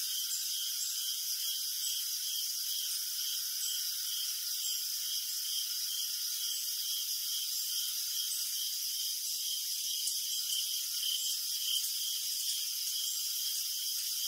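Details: Crickets chirping in the night, their high-pitched trills pulsing in a regular beat roughly twice per second, steady across the whole stretch, over a faint continuous hiss.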